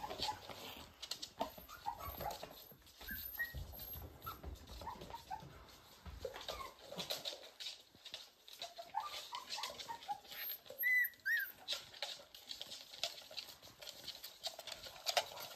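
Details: Pembroke Welsh Corgi puppies, born 31 January 2023, on a live stream. Faint, high squeaky whimpers come in scattered short bursts over steady rustling and shuffling, with a clearer rising-falling whine near the end.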